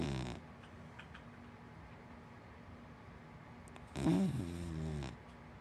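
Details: Sleeping Hana, a big black dachshund–Labrador mix dog, breathes quietly for several seconds. Then she gives one loud, droning snore, low and harmonic, with a slight wavering pitch, before it fades back to soft room noise.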